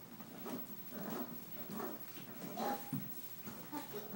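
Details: Six-week-old Australian Shepherd puppies playing and chewing on towels after bath time indoors; soft low whines and grumbling whimpers repeat through the clip, with a brief higher squeak near the end.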